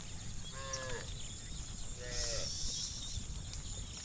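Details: Dozens of tame cows roaming muddy rice fields toward fresh grass under soft sunlight give two brief, slightly falling moos over a steady outdoor hiss.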